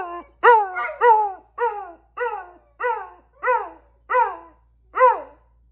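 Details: Beagles and a lab howling: a run of about nine short, falling bay notes, each sliding downward, spaced roughly every half second, clear in a quiet room.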